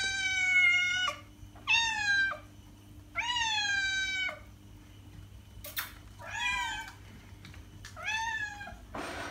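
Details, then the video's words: Cat meows meant to attract cats: five long harmonic meows, the first ones loud and sliding slightly down at the end, later ones softer with a curving rise-and-fall, broken by brief clicks and rustles. "Cat sound - cat meowing to attract cats"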